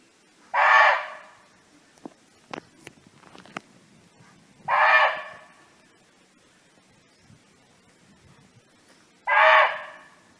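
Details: Free-roaming barking deer in a natural setting, calling its friends: three abrupt, coarse barks about four to five seconds apart, with scattered soft clicks and taps in the gaps.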